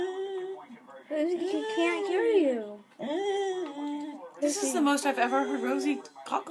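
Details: Rosie, a pet beagle indoors, makes funny talking noises after seeing another dog: long, sliding, whiny moans that rise and fall in pitch in three bursts, with faint human voices in a small room.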